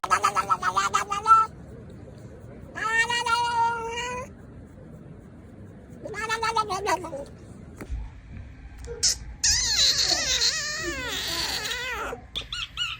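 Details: Domestic cat making strange noises indoors: drawn-out harmonic meows, some rising and falling, repeated in separate bursts, followed by a noisier squealing cry near the end.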